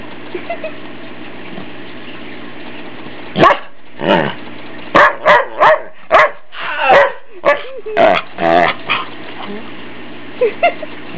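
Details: Following a quiet stretch, teased family dog Ike breaks into a rapid burst of a dozen or so sharp barks and yips, some with wavering growly tails, before falling silent again; a low hum runs throughout.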